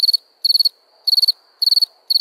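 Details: A nighttime cricket chirps: five short trills, each made of four or five rapid clicks, high-pitched and evenly spaced about half a second apart.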